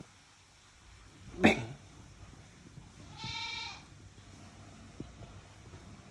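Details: Angry cat giving a single drawn-out harmonic meow of under a second, falling slightly at the end, following a sharp knock; quiet room background otherwise.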